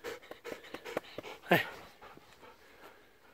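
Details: Golden Retrievers Kohaku, nine, and Ibuki, eight, after romping on a morning walk on 19 November 2018, Kohaku having provoked Ibuki into running. Quick rhythmic panting breaths in a steady series, with one louder huff midway and brief human words before.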